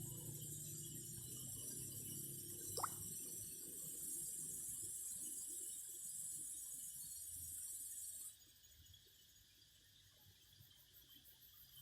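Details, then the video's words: A cicada chorus gives a steady high sizzling buzz with one brief sharp click partway through, then cuts off abruptly, leaving quiet background noise. "Singing cicadas."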